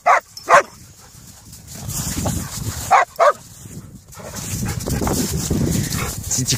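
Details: Belgian Malinois Haika sharply voicing disagreement at Ficelle, a too-rough dog jumping on her, which stops at once; several short high yelps then rumbling growly noise, with a person speaking French.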